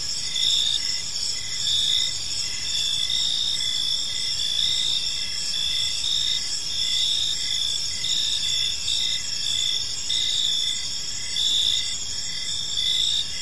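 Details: Evening chorus of crickets in a peaceful park, a continuous shrill high trill swelling in regular pulses, with soft low rumble underneath and no other clear voices.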